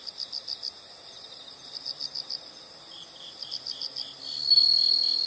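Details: Insects heard as a relaxing nature sound: soft, regular high chirps in short bursts, about four per second, until a loud buzzing trill rises near the end.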